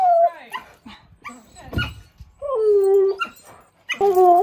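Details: Husky in its garden reacting to a lively puppy: loud, drawn-out whining tones that fall and level off, broken by short yips and gaps, ending in a strong wavering whine.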